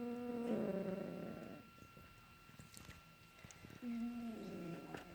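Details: Pet cat snoring on a Saturday morning: two soft, low droning snores, one early and one near the end, with a quiet gap between and a faint steady background hum.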